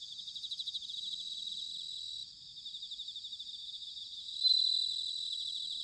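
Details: Bell cricket singing in autumn, recorded in Sanuki, Chiba, Japan: high, bell-like pulsed trills ringing steadily, with overlapping callers and a brief louder ringing note near the end.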